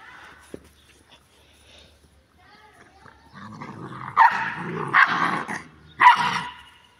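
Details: Boerboel, a South African Mastiff living in Egypt, on a morning run; deep gruff barks build from about three seconds, three loud bursts near four, five and six seconds, after quieter whines and clicks.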